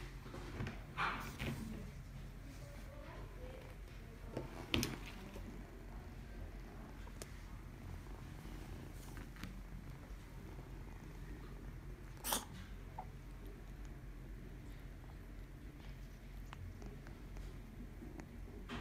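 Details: Ragamuffin cat indoors at a pet shop in Omihachiman, purring as a soft, steady low rumble under quiet room noise, broken by a few sharp knocks and clicks.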